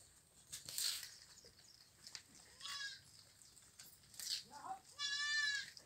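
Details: Goat kids feeding on leaves bleat twice, each call high, nasal and wavering with a trembling vibrato, the second longer and louder; soft rustles and a faint voice-like sound come between the calls.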